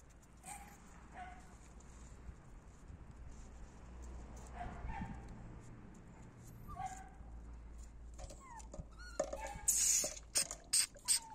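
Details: Male puppies from a kennel litter whimper in short, thin, high squeaks spread over several seconds. A burst of loud clicks and knocks follows near the end.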